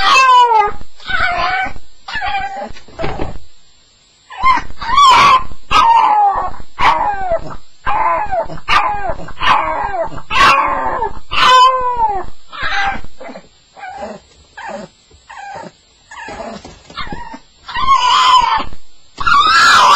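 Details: A staffie, Staffordshire Bull Terrier, crying through a nightmare on the first night home: continuous bursts of high, wavering yelps and whines, several per second in runs, with brief quiet gaps between.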